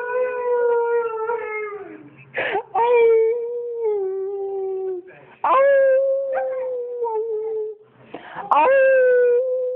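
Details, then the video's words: Aria, a little female dog, howls in reply when her owner howls: drawn-out, slightly falling tones broken every few seconds by brief yelping upward sweeps, indoors. "Howling with Aria"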